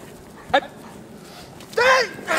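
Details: A young female Perro de Presa Canario at a kennel starting protection work in build-up training: one short sharp bark, then a louder, rising, harmonic-rich bark about a second later, a third beginning at the end.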